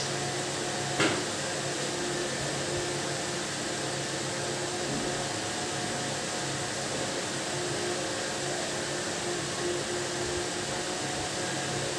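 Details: Only a steady mechanical hum like a fan or vacuum cleaner is heard, with a single brief click and no animal voice.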